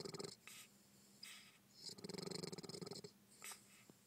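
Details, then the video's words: Bulldog Bentley snoring in a short stretch: a few breathy snorts, then a longer fluttering rattle of rapid pulses near the middle, ending with one more soft snort. "Bentley Snoring bulldog"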